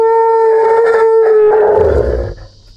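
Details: Scared, nervous Asian elephant calf, trapped in a ditch without its mother while men work to pull it out, gives a loud sustained tonal squeal with strong overtones. The call holds steady for about two seconds, then breaks into a rough, noisy ending.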